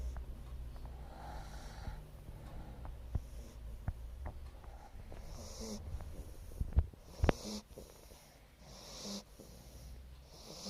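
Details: Wheezy snoring from a dog fast asleep, with breathy hissing exhales coming roughly every second over a low constant rumble and a few sharp snorts partway through.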